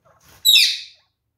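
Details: Caged pair of kakariki, affectionate and curious about a newly added nest: a single loud, rasping chirp that starts sharp and fades away within half a second, after a soft rustle.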